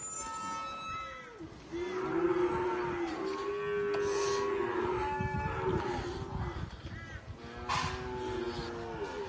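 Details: Cows and calves; a run of overlapping moos from several animals, some rising and falling, others long and level, with knocks and scattered noise.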